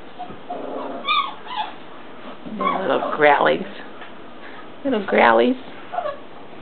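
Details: Four-week-old English Mastiff puppies whimpering indoors: short, arched, harmonic whines come in a few bursts spaced a couple of seconds apart, with a person talking softly in the background.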